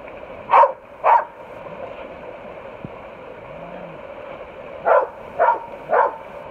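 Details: Ramsey, a rescued Pit Bull, barking in close-up: two sharp barks half a second apart, a quiet gap of nearly four seconds, then three more evenly spaced barks over a low steady hum.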